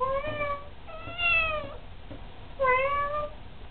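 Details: Domestic cat meowing while trading sounds with its owner indoors: three clear, drawn-out meows, each with a slight rise then a falling tail, spaced about one second apart, in a quiet room.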